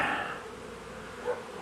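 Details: Honey bees buzzing around a beekeeper during day one of a cutout of a long-established colony in a house wall, the colony growing angry as dark falls; a steady dense drone with a brief louder swell near the end.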